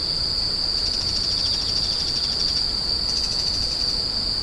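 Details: Screeching insects for tinnitus relief: a constant piercing tone with rippling, beating pulses running through it for most of the stretch, and a faint low hum beneath.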